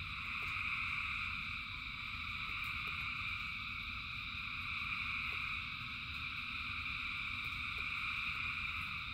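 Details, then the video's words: Massed frogs singing during rain: continuous high buzzing drone with no gaps, layered in bright bands, over a low muffled rumble with scattered light ticks like falling drops. "Frogs in Rain 2 Hours of Frogs, Thousands of Frogs Singing"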